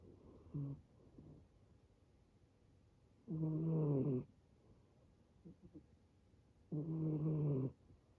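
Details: Rescued male brown tabby and white kitten asleep, snoring like an old man: low rasping snores roughly every three seconds, alternating short soft breaths with longer loud buzzing snores.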